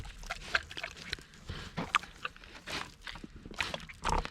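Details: Large Kunekune pig eating bananas, with short broadband smacking and mouth noises and a few soft grunt-like bursts scattered over four seconds, the loudest near the start and end; no other clear sounds.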